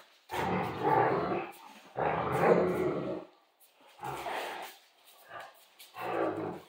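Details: Central Asian Shepherd dogs playing inside an off-grid cabin: rough, noisy growls in four bursts of roughly a second each, separated by short quiet gaps, with a softer growl between them.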